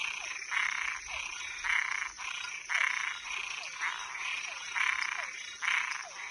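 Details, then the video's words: Frog and tree frog calls after dark: grating, buzzy croaks about half a second long, spaced roughly a second apart, with faint downward chirps in between and a persistent high hiss. "Som de animais noturno Sapo e perereca"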